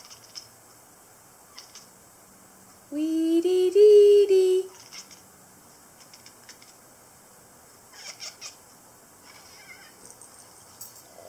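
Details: Manx cat named Lexi, a pet, protesting as her owner sings "The Lion Sleeps Tonight": one loud, drawn-out meow rising slightly in pitch and lasting nearly two seconds, then quiet with a few faint clicks and rustles.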